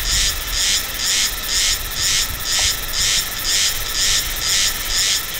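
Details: Silver-bellied Meimuna cicada from Taiwan mountain roads in November–December, giving a regular series of harsh, quacking buzzy pulses about two per second, evenly spaced over a constant high hiss.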